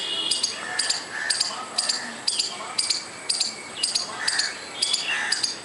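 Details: Squirrel repeating short, scratchy clicking calls at about two per second, slightly uneven in rhythm, over soft background sounds.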